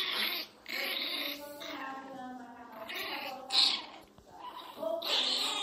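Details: Angry Miniature Pinscher Teco crying loudly inside a small room: sustained, wavering high-pitched wails with stacked harmonics, several long bursts separated by short breaks.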